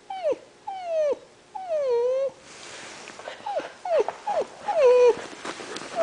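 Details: Three seven-week-old male Alaskan malamute puppies playing in a garage; high, tonal whines that slide downward, given in short bursts and repeated yips, some overlapping, with a brief hissy scuffling noise midway.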